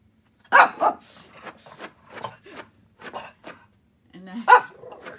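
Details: Shih Tzu named Lacey, bored indoors on a rainy day and running basement zoomies: two sharp, quick barks close together, then softer scuffling and small noises, and one more loud bark near the end.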